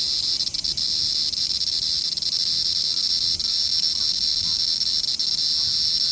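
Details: Cicadas: a continuous high, shrill buzzing drone in two bright bands that stays at one level with no breaks for the whole stretch. No other clear sounds.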